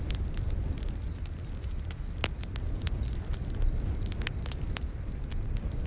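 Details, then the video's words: Forest crickets chirp shrilly and rhythmically at night, about three pulses per second, beside a campfire whose sharp pops and crackles punctuate a strong low, roaring background. "Campfire In The Night Forest w/ Cricket Sounds"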